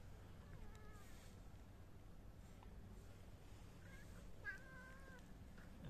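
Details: Homeless tabby, calico, dilute calico, black and blue cats fed homemade food at night; several faint drawn-out meows, a pair near one second and louder overlapping ones around four to five seconds, over constant low background rumble.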